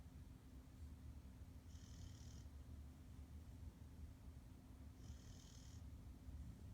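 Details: Pit Bull Nova asleep and snoring loudly; deep rattling drone with two thin whistling breaths roughly three seconds apart.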